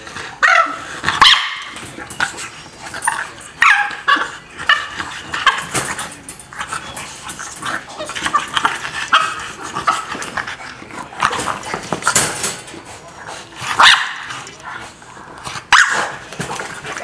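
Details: Pet dog, heartbroken by barriers separating it from another dog, giving repeated yelping barks and whines in short bursts every second or two, with some high tonal whimpers between them.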